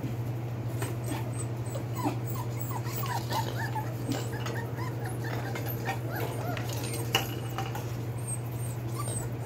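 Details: Belgian Malinois pups, 4 weeks 4 days old, litter born 9/26/2021, kept indoors; many faint, short squeaky chirps and yips from several pups scattered throughout, over a steady low hum and light rustling.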